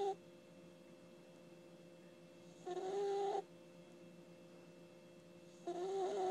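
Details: Sleeping puppy snoring: two loud, raspy breaths about three seconds apart, each carrying a whistling nasal tone, over a steady low electrical hum in a quiet room.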